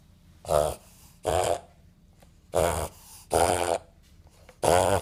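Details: A 5-month-old male Boston Terrier has a reverse-sneeze episode, normal for the breed, making a run of short, harsh snorting gasps about a second apart.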